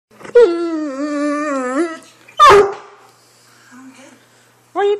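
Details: A Great Dane gives a long, harmonic, wavering whine-howl, then a sharp bark-like yelp, telling his owner he wants to go for a walk.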